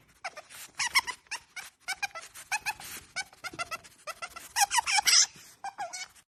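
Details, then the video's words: An otter gives rapid, high, squeaky bird-like chirps in quick bursts, about a dozen in six seconds, mixed with hard, breathy sniffing. "making bird noise"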